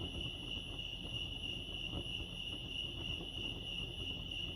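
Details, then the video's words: Crickets chirping at Lake Arrowhead, California, in a steady high-pitched trill that never breaks, with a soft low rumble of background noise beneath it. "crickets chirping lake arrowhead"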